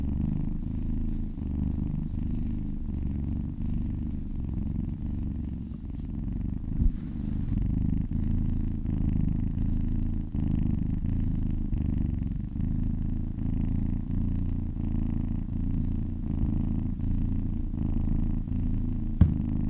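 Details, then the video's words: Low, unbroken purr from a kitten being massaged, rhythmic inhale and exhale pulses, with a brief soft rustle partway through and a small click near the end. "Purring kittens"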